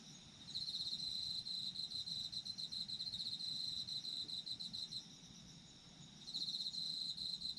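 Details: Chorus of autumn insects: a rapid, shrill pulsing trill holds steady for several seconds, fades briefly, then resumes strongly, layered over a constant high background hum of more distant callers.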